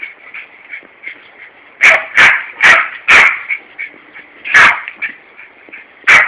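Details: Yorkshire terrier Larry barks at a hosepipe as the garden is watered on a hot summer day in Corby. A rapid string of four loud yaps is followed by two more spaced barks, with soft yips and a constant hiss between them.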